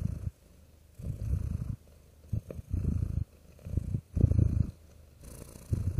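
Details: Comforting purring of a real cat, throaty low vibration in longer uneven stretches of about half a second to a second, some running together, with a faint hiss between.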